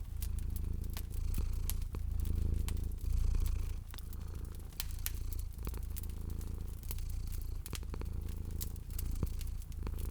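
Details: Sleeping domestic cat at a fireplace in cozy spring ambience. Rumbling purr in rhythmic waves, strongest around the third second, accompanied by steady crackling and sharp snaps of the wood fire.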